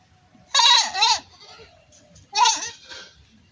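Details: Two bursts of goat bleating about two seconds apart, each a harsh, trembling maa that dips and rises in pitch.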